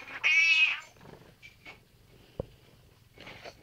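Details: Pet cat sitting in its owner's chair meows back during a back-and-forth with the owner: one loud, clear, high meow held about half a second, then quiet room noise with a soft click and faint later sounds.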